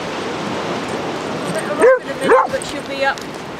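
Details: Basset Hound baying during a group walk of 37 Basset Hounds along Exmouth beach, a few drawn-out, mid-pitched bays with a wavering arc, over steady background noise and a hint of people talking.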